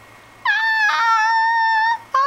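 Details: Female pet Shih Tzu indoors, singing as she mimics her owner's singing: a long, steady, slightly falling howled note of about one and a half seconds, a brief wavering break partway through, then a new note starting after a short pause.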